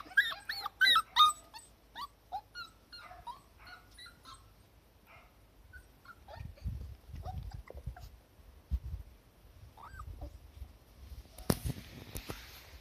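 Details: Cardigan Welsh Corgi puppies on a lawn of new spring grass, getting used to the garden, recorded 23 March 2020: a quick run of high, rising and falling whimpering yips early on, then quieter scattered squeaks over low rumbling background noise.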